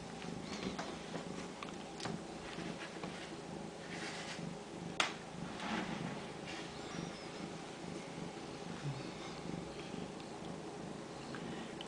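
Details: Continuous low purring from Ragdoll kittens bred in a home cattery in central Kansas; the rumble holds even throughout, broken by a single sharp click midway and light household sounds.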